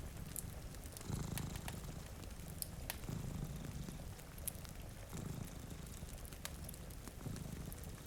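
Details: A soft rumbling purr from two cats dozing before a rainy window, its swells arriving about every two seconds, half-buried under crackling fireplace snaps and a light wash of rain.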